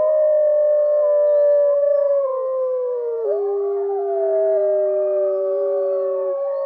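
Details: Several gray wolves (Canis lupus) howl together, long steady tones sliding slowly down and overlapping at different pitches.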